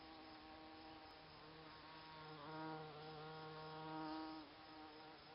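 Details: Bees buzz around Solomon's seal growing in cabin flower beds; a close droning hum with layered steady tones swells louder twice, around the middle and again near the end, as a bee passes near.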